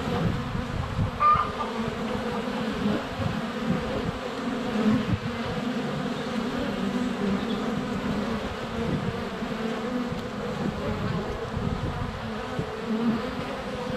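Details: Honey bees in flight at a hive entrance on a sunny February day, filmed up close: a steady dense buzzing hum with a low droning band, fluctuating gently as bees pass near, faint bird notes behind.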